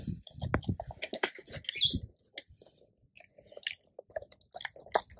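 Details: Labrador retriever crunching raw bones, deer ribs and quail, in a raw-fed meal: irregular crisp cracks and wet mouthing sounds, heavier thuds early on, then quieter scattered snaps with short pauses.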